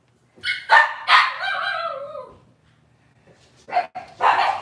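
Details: Cavalier King Charles Spaniel puppies from one litter, filmed on an indoor kitchen camera on a Wednesday morning: several sharp high yips, then a falling whine, a pause, and more short yaps.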